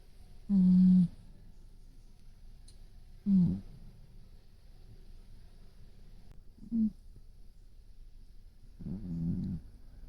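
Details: Brown tabby domestic cat asleep with its eyes open, snoring in four low, droning buzzes a few seconds apart. The first is the longest and loudest, and quiet breathing fills the gaps.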